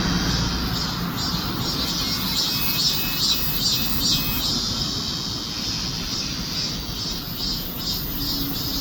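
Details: Cicadas in the heat of summer: a dense, high buzzing drone that pulses in steady beats, over a constant low rumble of traffic.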